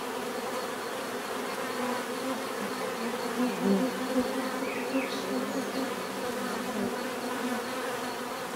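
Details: Many bees humming together in a steady natural buzz, layered drones around low and mid pitch with a few louder passes near the middle and brief higher whines, no other sounds standing out.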